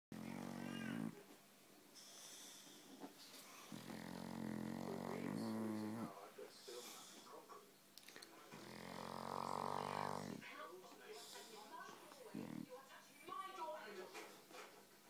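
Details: A dog snores loudly indoors. Long, rasping, buzzy breaths swell and fade in a slow cycle of roughly four seconds, with quieter breathing and faint rustling between them.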